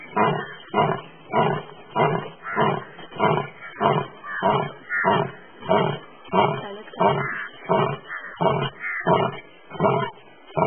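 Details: A sleeping Asiatic lion in India's Gir forest gives a long, regular series of low, rasping grunts, roughly sixteen pulses in about eleven seconds, evenly spaced like heavy rhythmic breathing.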